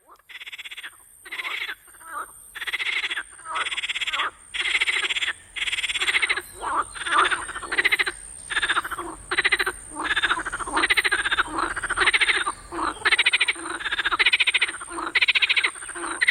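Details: Frogs calling at night in a swamp: a loud chorus of harsh, rasping croaks in bursts of about half a second, repeated roughly every second with overlapping callers, and a steady high whine throughout.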